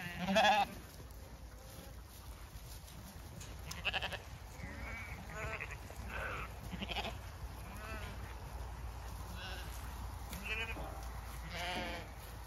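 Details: Zwartbles sheep flock on a regenerative farm in County Kilkenny, Ireland, abandoning beet pulp pellets for fresh grass as the gate opens; several wavering, harmonic bleats from different animals over steady outdoor background noise.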